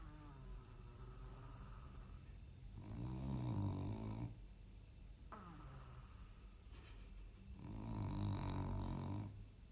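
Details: During nap time a sleeping French bulldog gives two deep, raspy, low-pitched snores about five seconds apart. Each lasts more than a second, with soft quiet breathing between them.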